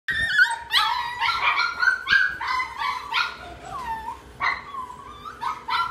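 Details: Tiny red-brown poodle giving rapid high yips and whiny barks, several per second, irregular and overlapping.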